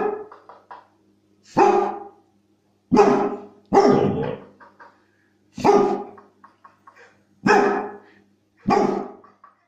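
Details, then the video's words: Pet dog responding to a squeaky toy recording with six loud, harsh barks about one to one and a half seconds apart, separated by short high squeaky toy sounds. "Собака разговаривает. Реакция на звук пищащей игрушки"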